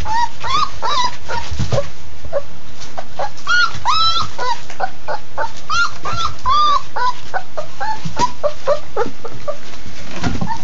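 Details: Several Labrador Retriever puppies eating their first real meal, a steady chorus of thin whining whimpers and squeaky yips, some bent upward, coming several per second over clattering feeding sounds.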